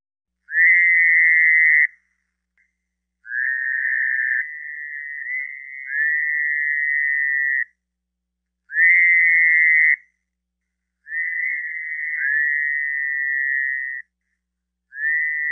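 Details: A Fowler's toad (Bufo fowleri), from a Georgia amphibian audio guide, gives long, nasal, buzzy bleats, each lasting one to four seconds.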